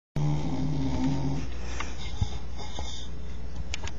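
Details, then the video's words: Bull terrier snoring: a single low, buzzy, harmonic snore lasting about a second and a half, then quiet room hiss with soft breathing. "bull terrier snoring"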